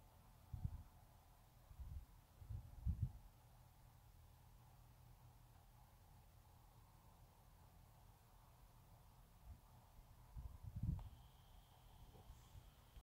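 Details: A sleeping Teacup Yorkshire Terrier gives quiet, deep snores in small bursts, several near the start, then a long pause before another low snore, and a faint steady tone rising late.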